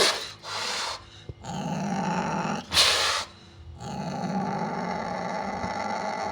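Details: Sumatran leopard cat alternating loud breathy hisses and spits with stretches of low rasping growl, two hissing bursts standing out near the start and around three seconds.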